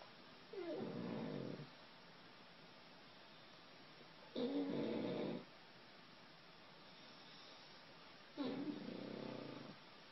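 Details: Sleeping dog snoring while dreaming: three rasping, breathy snores, each about a second long, come roughly every four seconds with quiet pauses between.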